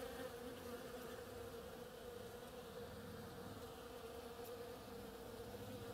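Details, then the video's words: Foraging bees on an oriental creeper in bloom give a dense, even buzz with a bright band above the low drone. The sound stays unchanged from start to finish. "Bees hard at work on my oriental creeper"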